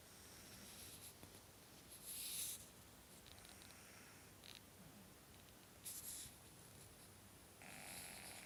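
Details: A pug named Franky snoring while asleep indoors: three breathy, hissing snore bursts, one near two seconds, one near six seconds and one near the end, with a quiet room hum between them.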